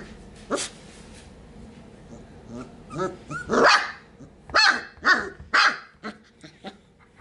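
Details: Sheepadoodle puppies in a pen, Pepper's single pup born 4/13/20 with two pups from Coco's litter, recorded 5/7/20; a soft yip, then four sharp, high barks in quick succession over the last seconds, with quiet shuffling between.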